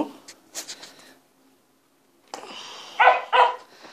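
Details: Wire fox terrier, a female, gives two short, sharp barks close together near the end, after a person praises her and asks for a paw; softer voice sounds and noises come earlier, with a silent gap between.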